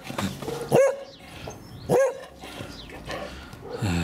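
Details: English Springer Spaniel Daisy barks at her son and daughter, wanting them to play; two loud, clear, high barks about a second apart stand out, with quieter rustling between them.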